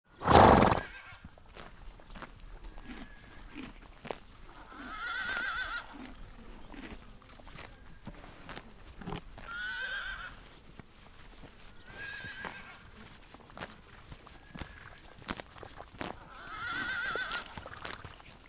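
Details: Horses grazing in a meadow: short, nasal, harmonic whinny-like calls break out near 5, 10, 12 and 17 seconds over a steady run of crisp cropping and chewing clicks, opened by a loud thump.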